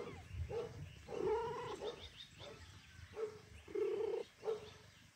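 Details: Tomcat calling to the female cat Kira after leaving her alone for long, as if pleading for forgiveness; clear drawn-out meows, some short and some stretched to half a second, in a quiet room.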